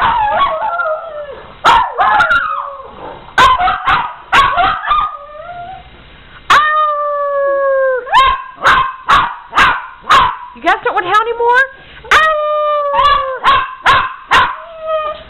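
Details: Howling dogs, prompted by a person howling along, mix wavering howls with bursts of barks and yips early on, then settle into several long level howls separated by sharp clicks and short barks.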